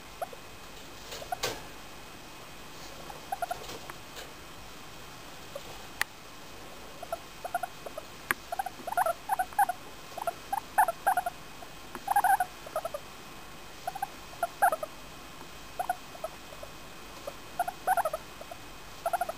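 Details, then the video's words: Femi, a four-year-old female English Crested guinea pig, makes happy noises while petted: brief low squeaks and chirps, sparse early then coming in steady bursts, some with a brighter whistled tone, over quiet rustling. "Femi, english crest making happy noises"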